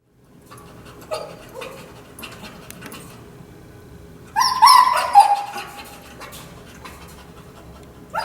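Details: Overstimulated dog with kennel anxiety, confined in a kennel during prong-collar training, also salivating and biting the kennel bars; a brief burst of high, tense whining and squeaking in the middle, with quiet room noise around it.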